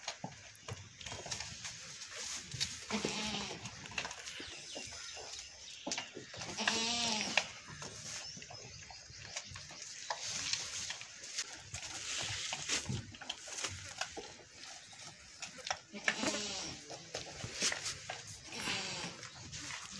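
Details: Goat during milking, giving several wavering, nasal bleats with rich harmonics, spaced a few seconds apart over steady background rustling and handling noise.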